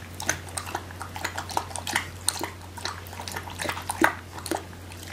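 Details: An 8-week-old male Alaskan Malamute puppy hiccups with short, sharp clicks and gulps about every half second; he often got hiccups, owner suspects from eating too fast.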